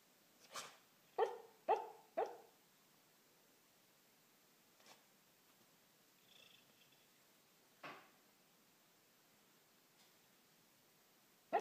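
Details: Dreaming Corgi letting out four muffled, stifled woofs in quick succession. Several seconds of near silence follow, broken by a few faint soft sounds.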